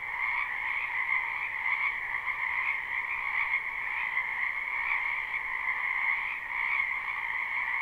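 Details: Numerous frogs in a spring wetland behind a house, recorded live and unlooped: a constant chorus of overlapping trills in two bands, the higher one brighter, with slight rhythmic swells every second or so.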